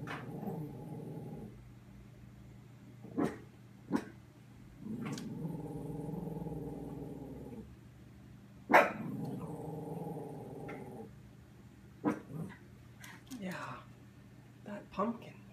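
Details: Frightened puppy facing a Halloween pumpkin outside, keeping its distance. It growls in long low rumbling bouts of two to three seconds, broken by short sharp barks and clicks.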